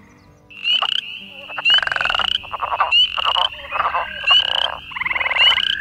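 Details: Spring peepers call in an evening chorus at The Ridges Sanctuary, Door County, Wisconsin, joining in as talking stops: high rising peeps overlapping with pulsed trilling calls from other frogs, a trill described as a back-off call.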